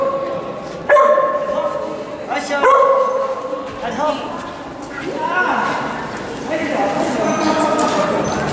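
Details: Yorkshire Terrier at an agility event in Prestranek on 22 January 2017, giving a couple of sharp high yipping barks early on, followed by looser yelps amid steady crowd chatter and a loudspeaker voice.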